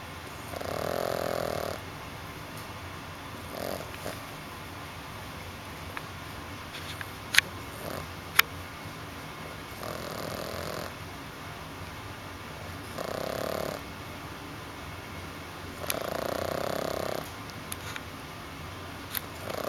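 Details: A sleeping French Bulldog puppy snoring: broad breathy bursts about a second long recur every few seconds, separated by quiet stretches, with a few sharp clicks in between.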